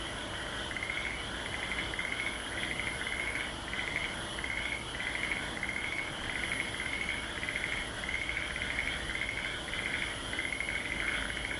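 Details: Frogs calling in chorus at Aso: short pulsed trills repeated at a regular pace of roughly one per second, layered over a constant high-pitched background buzz.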